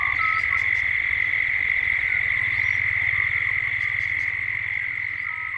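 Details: Cicadas at dusk in Gippsland, Australia, captured as a 3D ambience while the chorus builds toward evening: a steady, shrill, high buzzing drone over a fast low pulsing throb, with a few brief bird notes above.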